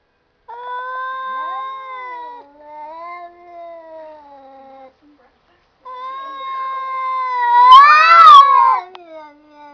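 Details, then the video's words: Cats appearing to talk to each other: long, steady, drawn-out yowls that dip and fall, then after a pause a rising, strained wail that peaks loudly before settling into a low moan. "cats talking"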